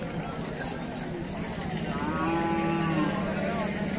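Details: Hallikar cattle at the Sunday Jodu Gatta cattle fair near Msyasandra, Turuvekere taluk, Tumakuru district, Karnataka, India; one drawn-out low moo swells midway and fades, set against a steady murmur of market crowd noise.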